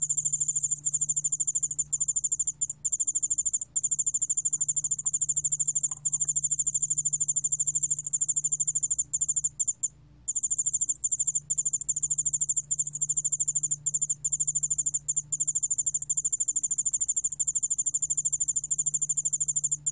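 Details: Korean ground cricket, yeoul allak bangul beolle, singing a high, steady pulsed trill sustained nearly unbroken for twenty seconds, with one brief break midway, over a faint low hum.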